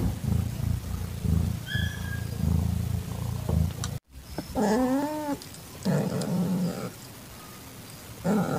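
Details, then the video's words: Calitabby cat in heat, caring for an adopted calico kitten whose eyes are just opening, on an evening in September 2021: low rumbling purr-like pulses, then a sudden drawn-out wavering yowl with rich harmonics, followed by shorter moans. "Cat ASMR: Calitabby Cat In Heat Accepts Calico Kitten"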